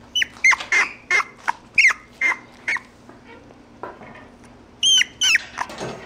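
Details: Mixed-breed puppy indoors giving short, high squeaky whimpers about three per second, some with a quick rising-then-falling bend, trailing into softer scattered squeaks and then two louder cries near the end.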